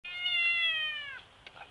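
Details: Domestic cat in a sidewalk confrontation with a big tabby, giving one loud, drawn-out yowl. The harmonic-rich cry holds steady for about a second, then sags slightly in pitch and cuts off, followed by faint small noises.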